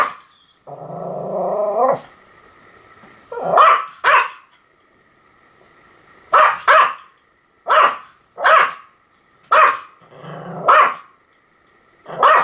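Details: Pomeranian opening with a strained, grumbling whine, then steady pairs of sharp high barks repeating roughly every second, with a faint background hum.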